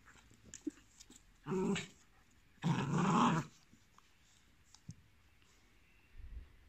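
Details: . One-year-old male Pit Bull of about 30 kg, friendly with dogs and people, up for adoption in Cremona, Italy, recorded indoors. Two low, rough growl-like vocalizations: a short one near 1.5 seconds, then a longer one of about a second. Quiet clicks in between.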